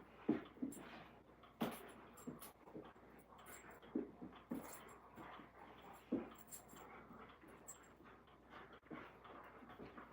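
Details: Alaskan Malamutes rolling around and wrestling indoors, giving short whines and huffing grunts in scattered bursts, with sharp knocks and scuffles from the play in a small room.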